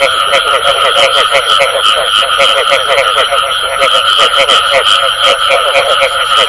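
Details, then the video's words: A thick chorus of frogs giving the bù tọt call: quick, rattling pulses stacked in several pitch layers, continuous and loud, with a faint constant high-pitched tone in the background. "Tiếng Ếch Kêu Có Tiếng Bù Tọt Cực Chuẩn"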